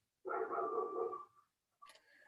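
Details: Female pet dog at home barking hard, probably at a nearby coyote: one drawn-out, rough, tonal bark lasting about a second that trails off, followed by a brief, faint, higher sound.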